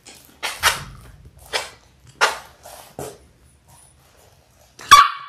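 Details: A litter of six Labrador Retriever puppies in their sixth week, born January 18, 2022. Short, sharp puppy barks and yaps come in spaced bursts about once a second over near silence, ending with one louder squeaky yelp.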